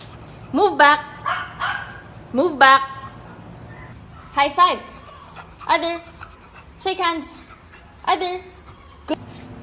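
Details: Young beagle letting out short rising-and-falling howling yelps in uneven pairs and triplets, interleaved with people talking close by.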